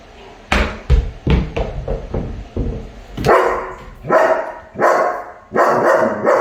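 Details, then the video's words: German Shepherd puppy barking at a squirrel: a run of short, rough barks at first, then louder, longer barks spaced about every second, with no other clear sounds. "German Shepherd🐕 vs Squirrel🐿"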